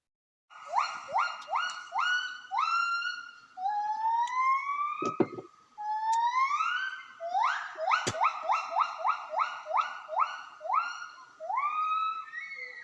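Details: Javan gibbons in cold forest give rapid, rising whooping notes that swell into a long, accelerating great call as group A, moving to its boundary with group B, meets that group in a territorial conflict.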